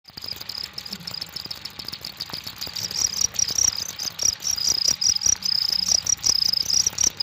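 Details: Cricket chirping steadily in high, thin pulses, short bursts strung together more than twice a second, growing louder midway over a soft rustling background.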